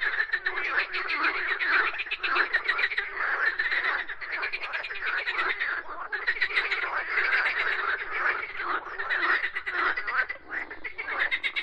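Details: Many frogs croaking together in a dense, continuous chorus of rapid pulsed rattles, mid-pitched, with overlapping callers swelling and fading every second or so.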